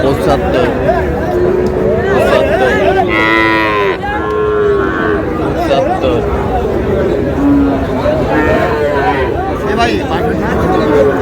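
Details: Friesian and crossbred bull calves on sale at Raniganj market, Dinajpur, 30 July: a long wavering moo, then shorter lows from several animals, set against a busy, noisy crowd and voices.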